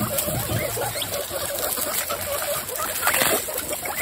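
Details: Excited female guinea pigs, part of a group of 26, standing up and wheeking: short high squeaky calls with a couple of upward-sliding whistles near the end over a steady background hiss and rustling.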